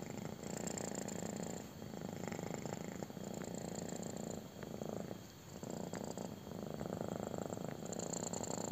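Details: Kitten purring intensely during a belly rub: a rhythmic, throbbing low rumble that ebbs with each breath, with brief quieter gaps and faint rubbing sounds.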